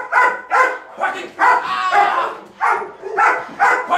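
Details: Belgian Malinois Waya, a female working on grip training, gives her bark command toward a threat; loud, clipped barks come in quick uneven bursts, roughly two per second, with brief gaps between.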